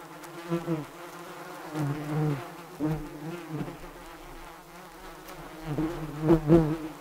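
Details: Bees buzzing in low, droning bursts that swell and fade every second or so, wingbeat hum steady underneath with brief louder passes near the end.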